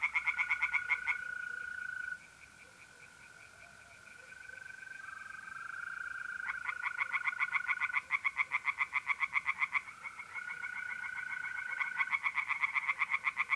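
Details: Night chorus of tree frogs at an Italian pond in April: short rattling bursts of quick croaks separated by quieter gaps filled with the unbroken, even trill of mole crickets.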